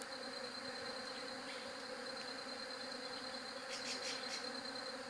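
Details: Bee hum drones on evenly and without pause, overlaid by a faint high-pitched ringing and a quick cluster of bright chirps late in the clip.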